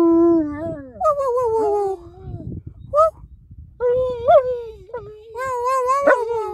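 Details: German Shepherd dog howling in wavering, melodic tones that slide and dip, with short breaks and a few yelping accents, ending in a loud sustained howl.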